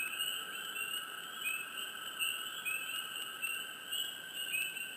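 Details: Swamp frogs calling close and softly, with short rising chirps repeated roughly every half second to second, layered over a continuous high-pitched buzzing chorus.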